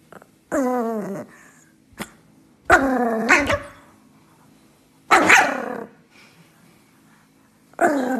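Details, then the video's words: An upset pet dog, apparently Sammy, sounds annoyed at being kept off the kitchen counter. It gives drawn-out, falling, moaning growls, then a sharper bark roughly every two to three seconds, with quiet pauses between. "Angry Dog"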